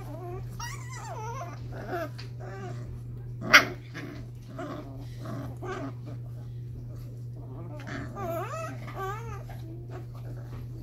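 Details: Five-week-old Cardigan Welsh Corgi puppies playing indoors, giving soft wavering whines and small growls scattered through the clip, with one sharp yip near the middle and a steady low electrical hum underneath.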